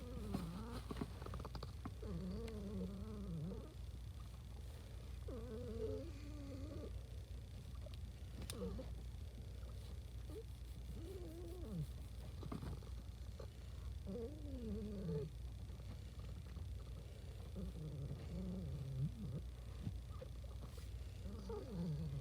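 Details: Pet cat making noises of happiness: soft, wavering, trilled chirps and murmurs in short bursts every few seconds, over a steady low hum indoors.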